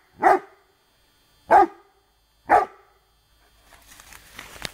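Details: Rhodesian Ridgeback dog outdoors in woodland, baying at a branch while practising a bark command: three strong, evenly spaced barks roughly a second apart, then quiet rustling and movement noise.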